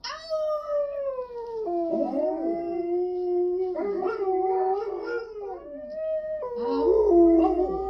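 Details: Dog howling in long, wavering, tonal notes that slide up and down, broken into several drawn-out phrases with overlapping voices and a low hum near the end.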